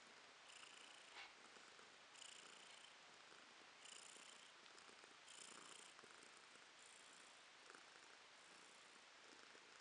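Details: Female house cat purring, recorded in April 2022: a soft, hissy, rhythmic purr that swells and fades about every one and a half seconds, heard close up in a quiet setting.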